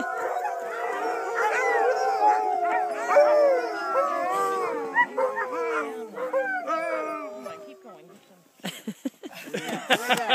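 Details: Several sled dogs howl together during a trip in Whistler, British Columbia, in 2013, long wavering tones overlapping and sliding up and down in a chorus.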